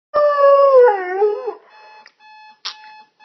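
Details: Pet dog howling at an alarm clock: a long wavering tonal howl that rises slightly and then falls, lasting about one and a half seconds, followed by the steady high beeping of the alarm.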